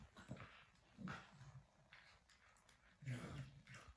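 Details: Cane Corso puppies during a morning sparring routine, giving short low growls and whining yelps in bursts about a second apart, with scuffling and faint human voices in the background.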